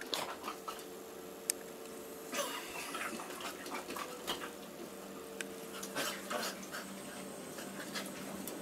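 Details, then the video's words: Two dogs, Molly the labradoodle and Casey the basset hound, play-fighting in a small room: scattered short snaps, scuffles and soft growly bursts over steady low room noise, with no talking. "DOG FIGHT"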